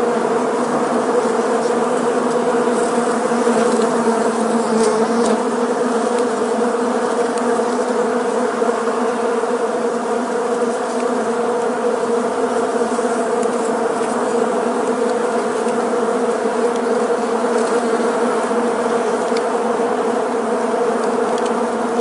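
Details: Many Western honey bees (Apis mellifera) fly together, their wing buzz forming a dense, steady, low hum with layered tones.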